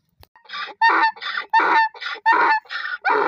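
A donkey brays in harsh, rasping bursts, alternating loud and softer notes in a steady hee-haw rhythm.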